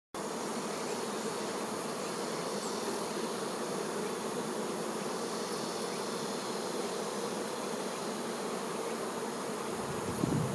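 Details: Honey bee workers tending their queen, a dense steady hum of many wings, low droning band with a brighter buzz above, unbroken for the whole stretch.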